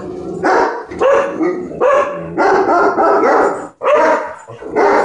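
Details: A dog objecting to ladybugs with a steady stream of hoarse, loud barks, roughly six bursts across five seconds. Some are drawn out into short yelping whines, with a brief gap near the end.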